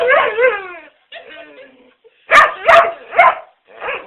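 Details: A pet dog vocalizing while sneezing: wavering, arching whine-like notes at first, a brief pause, then three or four loud explosive bursts in quick succession, probably sneezes, followed by a softer trailing note.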